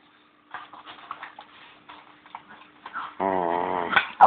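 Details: Pet Bichon male begging for his bone: soft scuffling and faint noises at first, then a drawn-out, wavering, nasal whine-howl rising in intensity before a sharp sound at the end.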